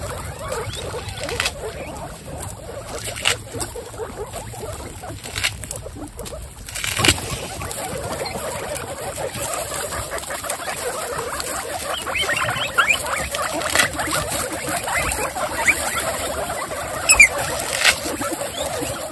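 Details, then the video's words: Twenty-six female guinea pigs, excited, stand up and wheek. Thin high squeals and chirps rise from a constant rustle and patter, growing busier in the second half, with a few sharper squeals near the close. "Excited Guinea pigs stand up and wheek"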